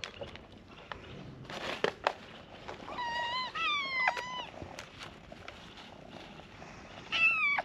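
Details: Abandoned, starving stray kittens waiting for their morning feeding. A run of loud meows around the middle, each rising then falling in a wavering whine, with one more sharp meow at the end over faint rustling and handling noise.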